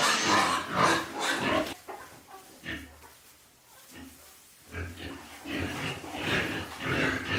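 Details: Piglets born to a mother pig give bursts of shrill squealing at the start and end, with a quieter stretch of low grunts and rustling between.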